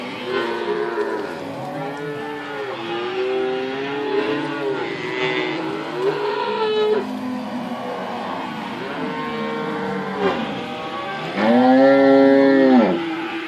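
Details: Cows with weaning calves at Inverland and La Florida; repeated arching moos from many animals overlap, ending in one loud, drawn-out bellow close by.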